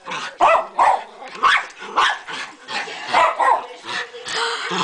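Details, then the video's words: A dog barking excitedly at a rabbit in the yard: a fast run of sharp, loud barks, several per second and sometimes doubled, with little pause between them. "barks at a bunny"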